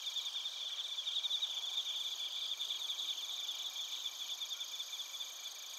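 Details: Bell crickets and crickets from Narita, Chiba Prefecture, Japan, on a TASCAM Portacapture X8 recorder: continuous layered high-pitched trilling, many insects pulsing rapidly together in a steady, unbroken shimmer.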